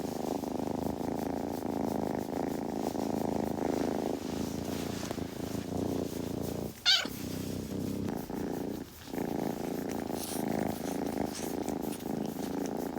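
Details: Kitten purring up close, with grooming sounds: a steady low pulsing rumble that runs unbroken for most of the stretch, cut by one sharp click midway and a short dip a little later before the purr resumes.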